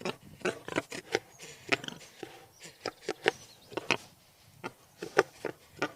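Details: A wild boar from Ukraine gives short, rough grunts and squeaky snorts in an uneven run, several each second, with faint background murmur.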